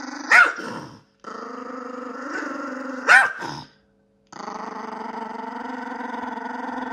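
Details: Pet Yorkshire Terrier, a female yorkie, gives a steady, buzzy low growl broken by two sharp, high barks near the start and middle, a short silence, then the rumbling growl resumes and holds to the end.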